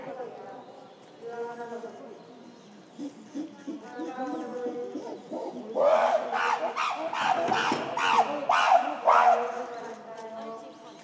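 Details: Shabani group gorillas, December 2023: female Nene screams while chasing silverback Shabani, with her son Kiyomasa following. Softer voiced sounds for six seconds give way to a burst of loud, rapid, harsh screams.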